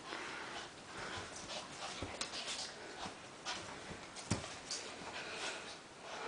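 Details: Cosby, a little gray Maltichi, and Minuet, a white Maltipoo, wrestle in nonstop play; rustling scuffle noise with breathy snorts, sniffs and a few sharp clicks or snaps, the loudest one about four seconds in.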